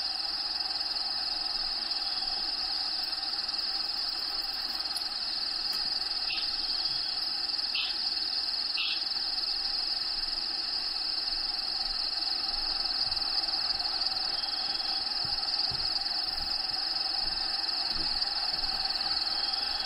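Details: Cricket trill inside the vivarium of Diego the bearded dragon, a continuous high piercing tone running throughout, with a few brief sharp clicks and taps in the first half and soft rustling noise.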